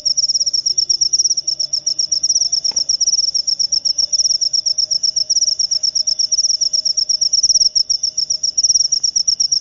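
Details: Jangkrik upo cricket calling continuously: high, grating pulse trains in quick regular bursts, with a couple of faint soft knocks in the background.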